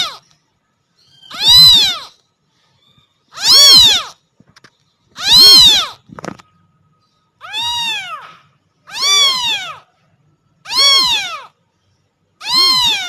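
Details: Domestic kittens meowing to attract their mother cat: loud, high, arching meows, each rising then falling, repeated roughly every two seconds in a series of seven, with clean silence between calls.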